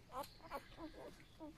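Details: Eight newborn golden retriever puppies, born that night, in a rural home: a run of short, squeaky whimpers with stacked overtones, five quick cries in under two seconds, some rising then dropping, over a faint room hum.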